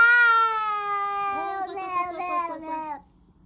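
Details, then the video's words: Domestic cat making a funny noise while eating: one long, steady, harmonic meow that slowly falls in pitch, then turns into a wavering, broken, tremulous note before stopping abruptly after about three seconds. "cat making funny noise when eating"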